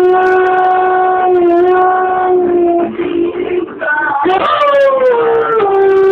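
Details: A German Shepherd "sings along" to the BooBah TV show, howling in long, drawn-out tones that slide slowly up and down in pitch.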